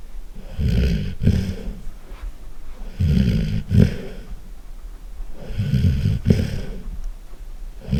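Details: A golden retriever snores heavily. Low, gravelly rumbles swell in long breaths roughly every two and a half seconds, and each rattling inhale ends in a brief snorting catch.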